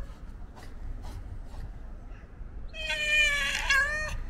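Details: Hungry white and ginger male stray cat meowing for attention: after near silence, one drawn-out harmonic-rich meow near the end, steady with a slight fall, over low background rumble.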